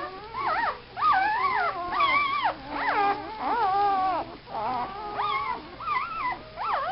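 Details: Several puppies with their mother nearby, crying in overlapping high whimpers and yelps, each a wavering whine that rises and falls, calling almost without pause; a person's voice is faint in the background.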